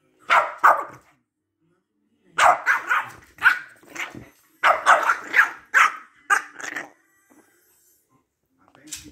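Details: Two Boston Terriers arguing with each other. Bursts of high, rapid yapping barks in clusters of three to five, separated by short silences, with a faint snarl near the end.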